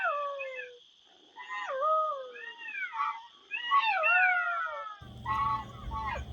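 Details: Golden jackals howling together at night around a den with young pups, caught on a trail camera; several wavering, falling wails overlap and pause, over a faint constant high whine, with a low rumble near the end.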